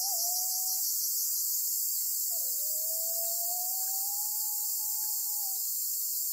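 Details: On Amami Oshima, Japan, a black cicada seized by a golden-web spider gives a continuous, high, harsh buzz throughout, while a separate steady tone wavers and slowly rises underneath.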